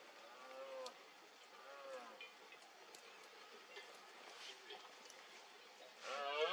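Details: Red deer stag in Cantabria during the 2022 berrea, calling through mist. Short harmonic moans come twice early on, then quiet hiss, then a louder roar breaks in at the very end.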